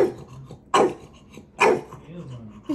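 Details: Maui the puppy pesters his big brother at home; two short, loud barks about a second apart, with low murmurs between them.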